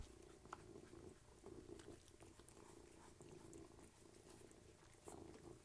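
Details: Purring cat at mealtime, one of three cats eating; a continuous low purr pulses in even breaths, with scattered crunchy chewing clicks and a brief louder pause near the end.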